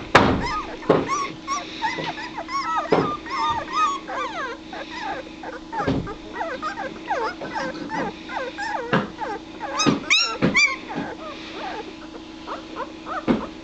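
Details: Two-week-old White Shepherd puppies of one litter calling together: a busy overlapping chorus of thin, rising-and-falling whimpers and squeaks, many per second, with a few sharper yips and soft knocks, and a steady low hum underneath.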